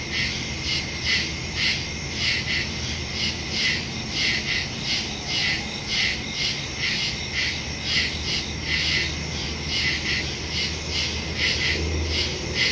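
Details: Crickets in woods at night, recorded September 2, 2023 on a Samsung Galaxy S22 Ultra phone with a Shure MV88+ stereo microphone; steady pulsed chirping about twice per second, layered high ringing tones over a soft low rumble.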